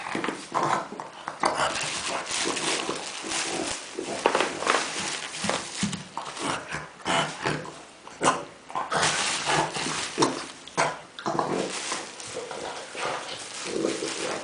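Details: Kuba the dog grunts among a pile of tennis balls, sounding much like a pig. Dense series of snorting, raspy bursts with brief pauses, indoors, with scuffling noises mixed in.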